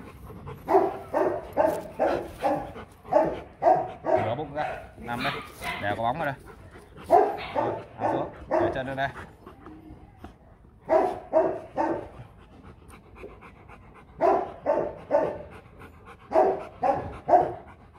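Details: Rottweiler kept as a family guard dog at a kennel, barking in long runs of deep, forceful woofs several per second, broken by short pauses, while people talk and give commands nearby.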